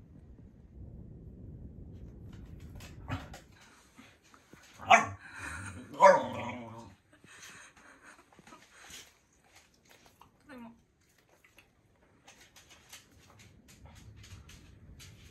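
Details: Corgi, a pet dog, angry after being teased: a few sharp barks and a short grumble near the middle, separated by quiet stretches, with soft low rumbling household noise at the start and end.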